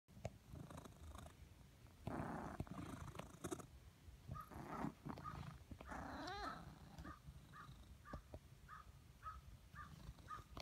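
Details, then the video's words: Blizzard, a pet cat that gets a squeaky purr after spending the day lying in the sun, purrs in rough breathy pulses, then gives a rising squeak followed by a row of short high squeaks at a steady pace. "Cat squeaks"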